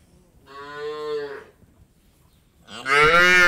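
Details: Indian dairy farm cattle: a steady harmonic moo of about a second, then after a short gap a louder, harsher moo that rises sharply at the end.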